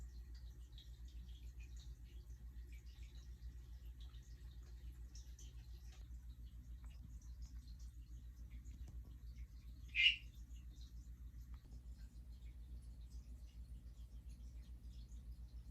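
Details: A single Hourglass tree frog (Dendropsophus ebraccatus) call, recorded the day after a mating event. One brief, bright chirp pops out near the ten-second mark against a quiet background with a constant low droning hum.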